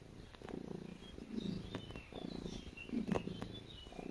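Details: Kneading domestic cat giving a loud, low vibrating purr in alternating breath pulses, accompanied by light clicks and scrapes of claws on cloth.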